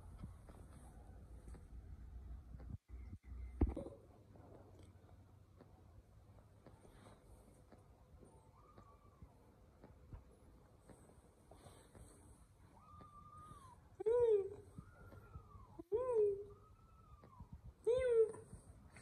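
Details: Kittens giving a series of short, arched mews that rise then fall, coming every second or two and growing louder toward the end, over quiet low background hum and faint knocks.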